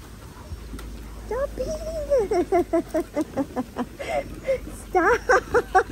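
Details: Linc, a baby Australian cattle dog, plays with larger puppies in a paddock, letting out a drawn-out wavering whine followed by a rapid series of short, sharp yelping barks, about a dozen, with a faint low hum underneath.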